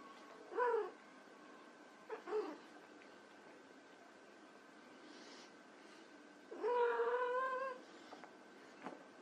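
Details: White Persian kittens at play give soft, high meows: one short call near the start, a quick pair around two seconds, then a longer, steadier meow, with quiet pauses between.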